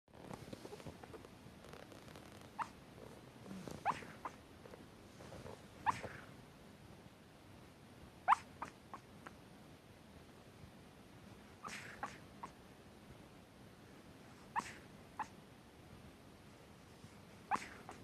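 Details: Chihuahua fast asleep, worn out after a trip to Karuizawa, making soft sleep-talking noises: brief high squeaks every two to three seconds, faint against a quiet background hiss.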